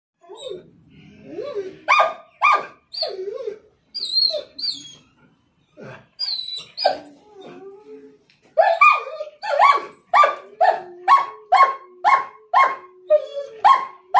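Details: German Shepherd and Rottweiler mix dog, excited on realising it is going outside for a doctor visit: sharp barks interleaved with high whines, ending in a steady run of loud barks about once a second; a person's voice briefly.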